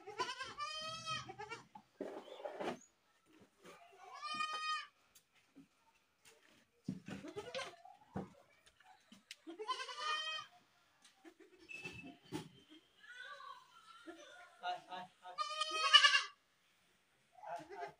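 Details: Goats bleating in repeated harsh, wavering cries about a second long, several overlapping voices with short pauses between bursts, some calls higher and strained like screams.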